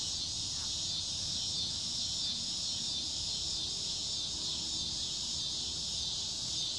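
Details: Cicadas in summer, a loud, unbroken, shrill high buzz that holds steady throughout with faint gentle surges in strength, over a soft low rumble.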